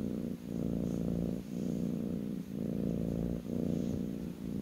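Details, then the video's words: Kitten purring while resting on its owner's lap: a steady low rumbling purr that swells and dips in phases of roughly one second, with a short quiet gap between them. "kitten purring"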